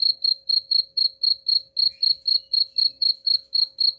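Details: Cricket song for repelling rats: a clean, regular train of high chirps, about four each second, continuing without pause.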